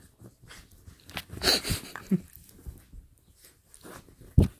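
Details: A pet dog named Pita, playing at home, gives short huffing snorts and wheezy breaths, with one louder burst in the middle and a sharp knock at the end, all in a small indoor room.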